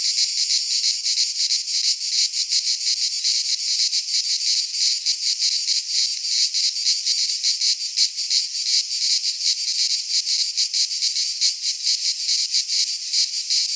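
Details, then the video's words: Greek pine forest cicadas in midsummer give a loud, unbroken high-pitched rasping buzz, flickering with quick pulses and swelling slightly, many insects blending into one wall of sound. "Cicadas singing in midsummer - Nature sounds from the Greek fauna - Sounds of cicadas"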